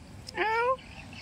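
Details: Hungry domestic cat, fed after no one had given it food, gives a single short meow that rises in pitch and ends abruptly, with faint background noise.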